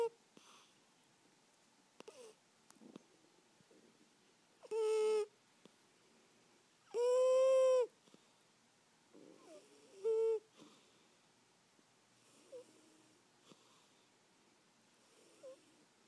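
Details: Eighteen-year-old cat Birdie, asleep and dreaming, gives three brief harmonic whimpering squeaks, the middle one longest and loudest, with faint soft rustles between them in a quiet room.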